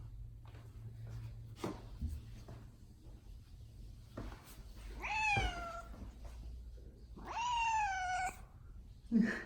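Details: Domestic cat named Odeko, indoors, meowing as if trying to say something: two drawn-out, wavering meows in the second half, the first rising then falling, the second longer and level, over a low room hum.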